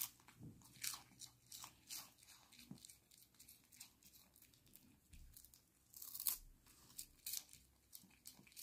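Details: Dog eating dried smelt treats indoors, crunchy chewing bites at irregular intervals, sharp clicks and crackles spread over the eight seconds with quiet gaps between.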